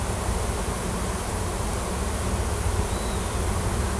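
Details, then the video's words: Honey bee swarm clustered in a tree at a Washington farm after a new queen left the nest with workers, seeking a new home; low rumbling buzz, slightly swelling late, with one faint higher whine. "Swarm of WILD HONEY BEES & NEW QUEEN"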